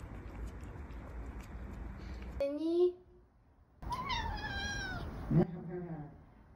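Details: Scottish Fold cat; meow; asking for food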